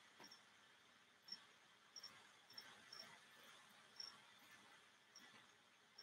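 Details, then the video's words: Crickets kept in cages indoors as feeder insects give short, high, thin chirps at uneven intervals over a soft background hiss; finding: cricket. "Yes, you can hear the crickets because they're in some of the cages back here."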